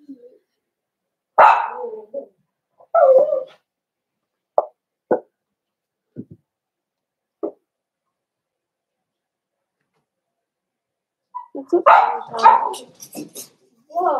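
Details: Indoor pen of Cavalier King Charles Spaniel puppies being socialized with bigger dogs on 12/13/22: loud yelping barks open, followed by scattered short yips, then a dense burst of overlapping barks and whimpering whines near the end.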